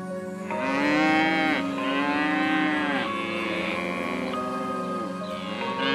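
A cow gives long, drawn-out moos with a rich harmonic tone, several back to back, each dipping and swelling in pitch.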